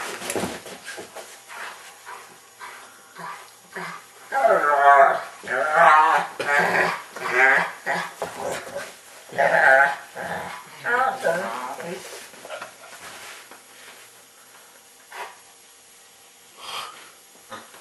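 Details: Pet dog whining in an odd, Chewbacca-like way while trying to get his football indoors; a run of wavering, moaning whines in a small room, with human speech and laughter around it.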